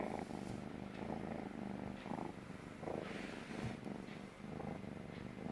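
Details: Stray kitten on a lap for the first time, purring loudly because it feels safe; a rough rumbling purr swelling and fading roughly every second with each breath.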